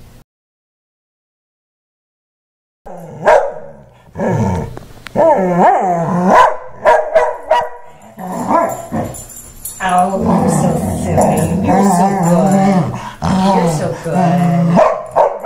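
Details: After a moment of silence, Mickey the Wheaten Terrier launches into an angry post-haircut tantrum of wavering, moaning yowls and grumbles mixed with short barks, overlapping with a person's voice.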